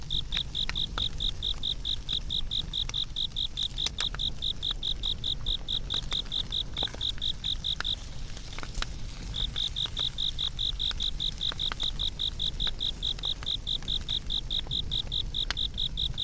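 An insect chirps in a steady, high-pitched pulsing stream over the crackle of a fire.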